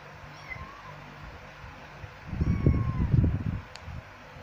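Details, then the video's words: Two kittens, one male and one female, give thin, high meows that rise and fall, one early and another near the middle, partly masked by a burst of low rustling and handling noise. "Anak Kucing Mengiau / Kitten Meowing"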